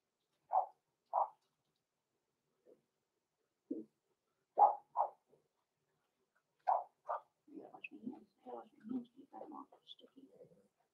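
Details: Six-week-old blenheim Cavalier King Charles Spaniel puppies, Roman and Blue, born November 14, 2022, in an indoor puppy pen: short high yips in pairs and singles, then muffled voices and murmuring sounds toward the end.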